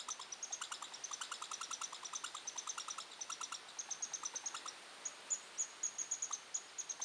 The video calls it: The Territorial Call of the Red Squirrel